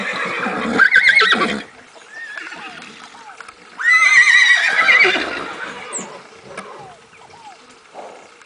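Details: Crioulo foals of Grande Sertão Veredas, named Goleiro, Goiaba and Gaivota: two strong, shaky high whinnies, one at the start and a longer one midway, with quieter repeated falling chirps and faint clatter between them.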